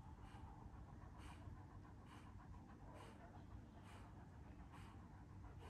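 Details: Kangal dogs, one year old, in Alanya, Antalya, Turkey, on 24 September 2024: steady rhythmic panting, a breathy burst roughly every second, over a low background rumble.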